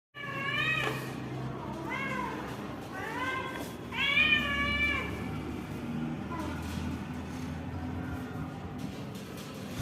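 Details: Domestic cat meowing in a daily-life home scene: four short rising-falling meows over the first five seconds, then fainter mewing, against a steady low hum and background household noise.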